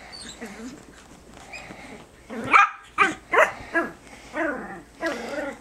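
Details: Biewer Terriers Harry and Isabelle tug at a hair accessory in play, March 2008; after a quiet start, a run of short, rough, harmonic growling bursts comes roughly every half second.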